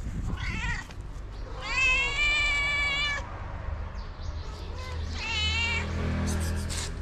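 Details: Loud tabby cat calling other cats to food: a short meow, then a long drawn-out rich harmonic meow of over a second, a break, and another strong meow, with low outdoor rumble beneath.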